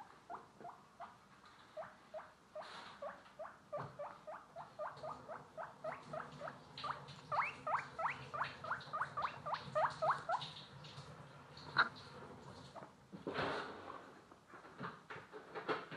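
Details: Guinea pigs making a run of short rising squeaks, quickly repeated several times a second and loudest in the middle, with soft rustling and patter underneath.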